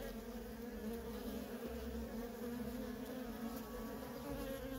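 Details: Worker honey bees in nonstop traffic at a feral colony, a dense continuous hum with steady bands near 250 and 500, many wings overlapping into one even drone without pauses.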